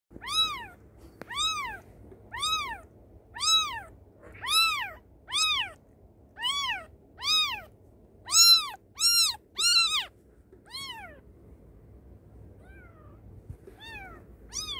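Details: Kitten calling for its mother: a series of clear, arching meows roughly every 0.7 seconds, rising then falling, about a dozen in quick succession before fading to a few faint calls near the end.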